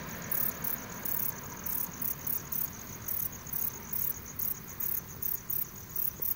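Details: Requena verticalis katydid producing a steady series of short, high, hissing chirps at around four per second, with faint low background noise beneath.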